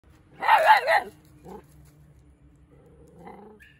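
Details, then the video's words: Mudhol Hound puppy keeping watch gives one loud, slightly wavering bark, followed by a short faint yelp and soft low whining sounds. "Sultan Is Always On Watch 👀 | Barking Mudhol Hound Puppy"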